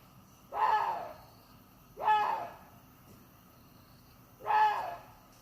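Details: Water deer calling three times. Each call is a hoarse, arched bark-like scream of under half a second, separated by roughly two-second pauses in near silence.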